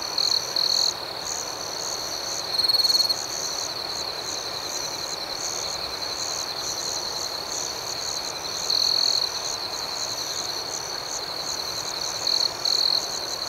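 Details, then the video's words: Crickets at night sustain a continuous high-pitched trill, interrupted by short louder chirp bursts repeated at irregular intervals of a few seconds, in a calm nocturnal ambiance. "Soothing Cricket Sounds"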